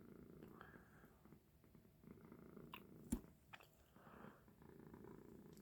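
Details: Indoor house cat purring by the window where it watches birds at night; a low continuous rumble with a sharp click midway and quiet rustling.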